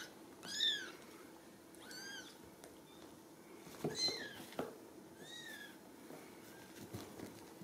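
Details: Ragdoll kittens raised in a home cattery in central Kansas without cages. Thin, high-pitched arched mews rise and fall, about five soft calls spaced one to two seconds apart in a quiet indoor room.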